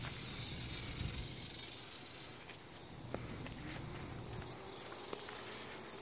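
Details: A pair of rattlesnakes found in the Everglades on the way home from kayaking, filmed on a phone: a dense, hissing, broadband rattle dominates the first two and a half seconds, then fades into quieter buzzing with a few soft clicks.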